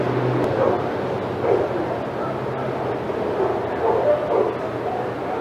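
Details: Senior dogs in the outside yard at Old Friends Senior Dog Sanctuary go crazy as Titus passes: scattered, muffled barks at irregular moments over a steady low hum and yard noise.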